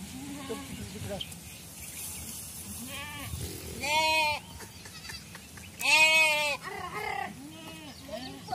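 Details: Sheep on a traditional Indian herding farm: loud, wavering, harmonic-rich bleats near four and six seconds, with softer bleats around them from several animals, over a background of voices.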